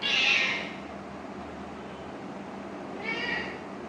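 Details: Attention-seeking kitten meows: one high, strained meow at the start, a pause of about two and a half seconds, then a shorter, softer meow.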